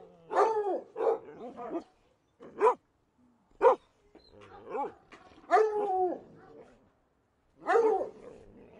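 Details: Dog barking in short, sharp yaps and woofs, some single, some in quick pairs, with brief whimpering between them and irregular pauses of up to a second and a half in a quiet setting.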